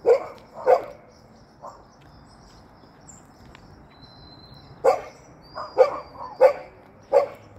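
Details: Hopping Golden Retriever giving short, rough barks: two quick ones at the start, a faint one soon after, a pause, then four more spaced under a second apart near the end, over quiet background hiss.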